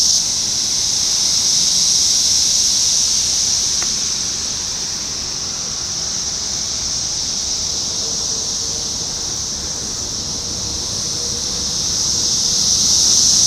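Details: Periodical cicada chorus from the 2021 Brood X 17-year emergence in Sharonville, Ohio, on June 4. It is a continuous shrill, hissing drone that swells, dips slightly in the middle, then rises again. A single faint click and a soft low tone are also heard.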